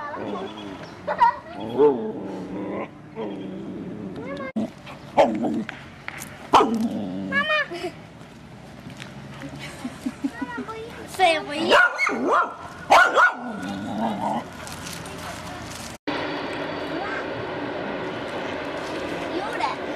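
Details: Excited Border Collie by Lake Bled in the Slovenian Alps, summer 2008, reacting to ducks, swans and horses: wavering whines and short yips come in clusters, with human voices alongside and a steady background hiss later.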